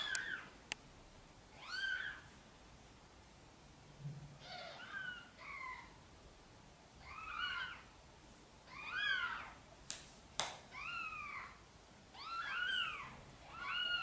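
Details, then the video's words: Gentle meowing from a mother cat who wants help getting her tiny kittens into their nest; soft, varied short meows come in quick pairs and clusters, with a few sharp clicks and knocks between them. "Mother cat is gently meowing, asking for help to bring her tiny kittens into the nest"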